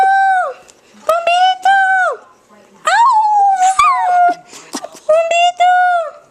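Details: A singing pet dog gives short, clear howled notes, each about half a second long. A wavering, rising-and-falling howl comes in the middle, with gaps of near silence between phrases.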